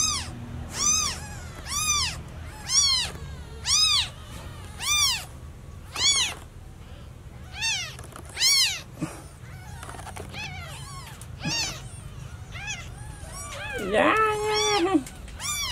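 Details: Newborn kitten left without its mother, crying over and over: a steady train of short, shrill, arched meows roughly once a second, then a lower, drawn-out sliding sound near the end.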